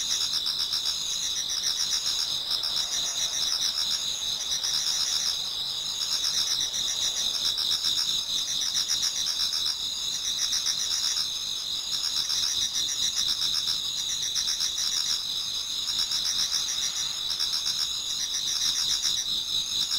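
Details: Many autumn insects singing towards dawn in a Japanese garden: a dense, continuous high shrilling chorus with steady bands of tone and rapid pulsed trills overlapping, no other clear sounds.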